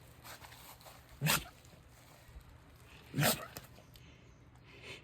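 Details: Dachshund, one of several rescue dogs kept together in a home, giving two short explosive sneezes about two seconds apart, broadband bursts over a quiet indoor background.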